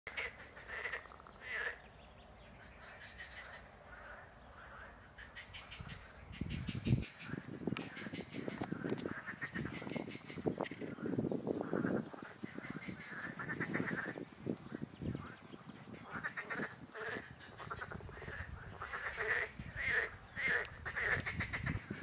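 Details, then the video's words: Green frogs (Pelophylax sp.) at the ponds by the old brickworks in Vrhnika, Slovenia, on 27 April 2023; dense overlapping pulsed, rattling croaks, often in quick series, over a continuous noisy background. "Pelophylax sp. ZELENA ŽABA"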